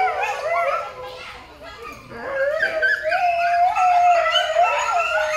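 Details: Coyote at Rescate Wildlife Rescue Center, Alajuela, Costa Rica, howling in overlapping wavering tones that dip, then rise into a long steady howl and wobbling yips, suggesting more than one voice.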